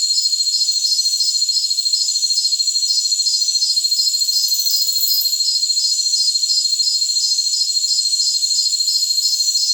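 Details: A jungle cricket chorus keeps up a constant high ringing drone with a steady, metronome-like chirp pulse near three per second throughout. Only high-pitched sound is present.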